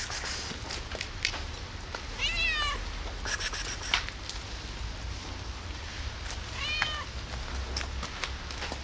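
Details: Domestic cat alone on a rainy day, meowing for food: two short harmonic meows with a wavering pitch, at about 2.5 and 7 seconds, over steady rain hiss with clicking drips.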